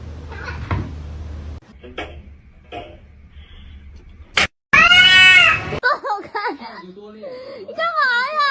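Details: Domestic cat meowing: after quiet talking and a sharp knock, one loud drawn-out meow arches up and falls, followed by several shorter, wavering meows, the last rising and bending.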